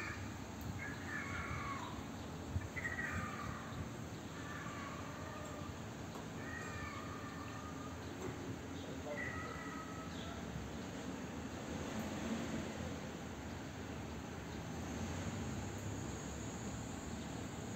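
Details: A stray cat that likes sitting on a balcony gives faint, short meows, about six of them, spaced a second or two apart in the first ten seconds. A steady hum of outdoor background noise runs throughout.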